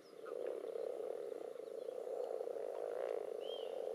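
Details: Spawning common toads and mixed frogs pressing together in a pond with visible spawn clumps and strings: an unbroken, loud, buzzing chorus of low trills, with a brief high whistled note near the end.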